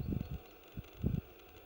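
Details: Common frog on 25 April 2015 in Lindulovskaya Grove, Leningrad Oblast, gives soft, low, muffled purring croaks in two short pulsed bursts with a brief single pulse between.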